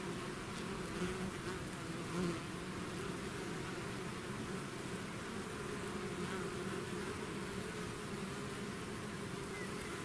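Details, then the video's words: Bees swarming out of their hive produce a thick, even buzzing hum, countless wings droning at a steady level with brief brighter whines over the low tone. "bees therapy swarm natural buzzing sound"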